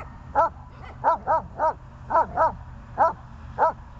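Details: Dog filmed on 14 January 2020 gives eight quick, yappy barks in about four seconds, some in close pairs, over a faint steady hum.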